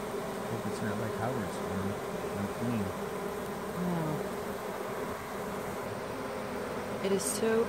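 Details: Honey bee swarm, the Surgergrove Swarm, draping off a small branch and entering a hive box during a swarm removal, queen already inside, bees fanning. A steady low droning hum fills the air, with human voices talking over it.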